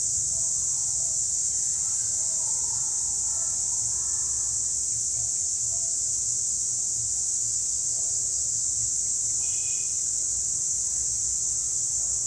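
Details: Cicadas singing in a wild forest setting: an unbroken, shrill, high-pitched whine holding steady at one pitch for the whole stretch, with a few faint softer chirps and a low background rumble underneath.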